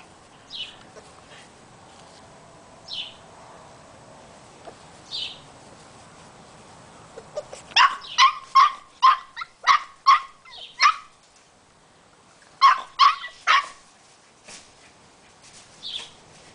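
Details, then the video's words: An 8-week-old female Boxer puppy, discovering squeaky toys for the first time, gives bursts of high, yappy barks at her toy, with the toy squeaking in between. "Boxer puppy barking at her toy...too cute!!!!!"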